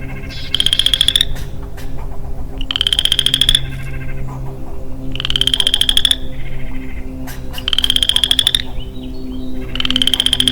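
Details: Early-spring woodland chorus by a single male western chorus frog: pulsed trills, each climbing slightly in pitch, sounding about every two and a half seconds. Five calls over a steady low hum.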